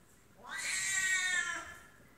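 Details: During a scuffle between a female F2 Savannah cat and a serval, a drawn-out, harsh, harmonic yowl rises and then holds steady.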